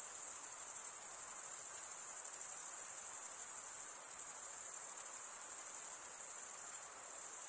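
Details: Crickets chirping nonstop, males scraping wing against toothed wing vein, produce a thin, piercing trill with a rapid, regular pulse and gentle rises and dips in volume, with no other noises present.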